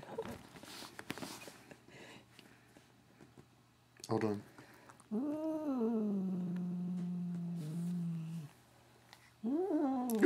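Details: Katherine the cat, making strange noises during an ear rub: after quiet rustling, a short cry, then a long moan that arches up and settles into a steady low drone for several seconds, ending with another rising call.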